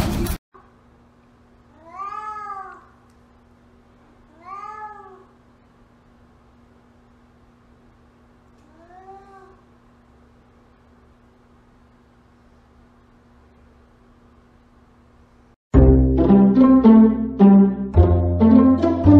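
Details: Domestic cat meowing three times, each a short arched harmonic cry about every two and a half seconds, the third softer, over a steady low hum in a quiet room; loud music takes over near the end.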